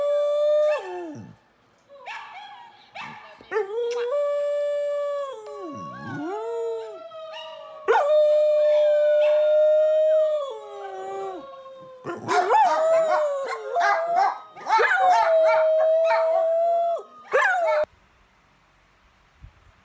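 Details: Dog named Sasha howls at length: sustained, wavering tones with strong harmonics, some swooping dips, a long steady note, then a louder busier stretch of overlapping howls before falling silent; background music plays.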